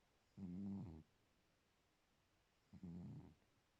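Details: Sleeping pet cat, affectionately called 'my girlfriend', snoring: two low, drawn-out rasping snores of about half a second each, roughly two seconds apart, in a quiet room.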